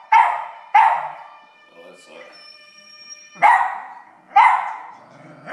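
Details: Pet dog reacting to a television theme's trumpet with loud single barks spaced about a second apart, a sustained tone in the middle, and faint speech in the background.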